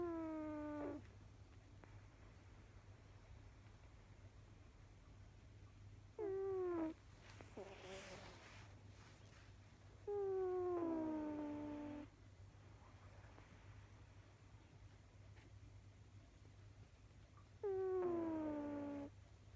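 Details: Domestic cat snoring: whistled, tonal breaths with a falling pitch, each about one to two seconds long and spaced several seconds apart, over a steady low electrical hum.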